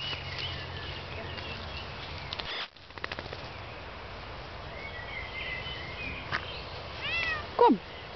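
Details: Out for an evening walk with the dogs, a female Bengal cat gives a pair of loud, arched meows near the end after a long stretch of outdoor rustle and footsteps, with soft Dutch calling.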